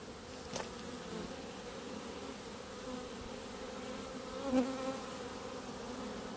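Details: Honey bees massed in a clump on the grass in front of their hives drone steadily, a clear tonal hum broken by two short knocks of handling noise.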